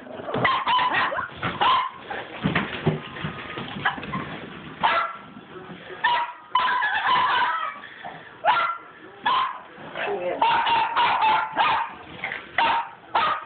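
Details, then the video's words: Several pet dogs romping after a tennis ball up and down an indoor hallway let out repeated sharp barks mixed with high, drawn-out whines, in irregular bursts with brief quieter gaps. "My crazy dogs and a tennis ball"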